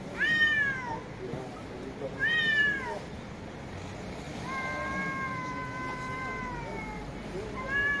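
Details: Cat meowing: two short arched meows that rise and fall, then one long, level, drawn-out meow lasting about two seconds, and the start of another at the end, over faint background rumble.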